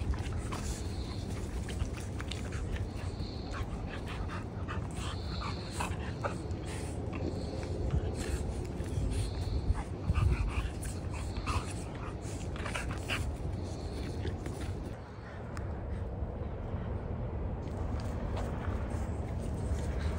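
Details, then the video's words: Merle American Bully puppies at play: short high squeaky whimpers repeat about once a second over steady breathy panting and a constant low rumbling background, with a brief quieter stretch near the end. "Merle American Bully Pups at Play"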